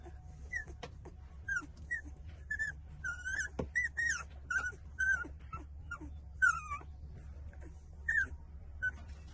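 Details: Young puppies, 18 days old, suckling from their mother emit a busy series of thin, whistled whimpers and squeals, often falling in pitch, repeated roughly every half second to second, with soft clicks and a low hum beneath.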